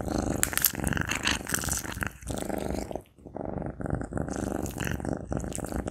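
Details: Close-up recording of a Maine Coon cat eating sausage: wet chewing smacks and crackling bites over a continuous low rumble, pausing briefly midway before the chomping resumes.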